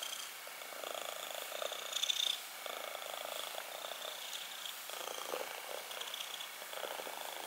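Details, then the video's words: Purring from a black kitten, steady low rumbling texture with a brief louder rasp around the second second, close and intimate with a quiet hiss underneath. "purring time"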